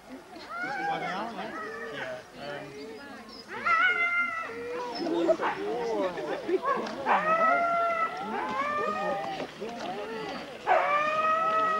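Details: Sled dog race huskies, Forest of Dean, November 2001, old VHS recording: scattered drawn-out yelping howls with bending pitch, rising out of a murmur of human voices and general crowd noise.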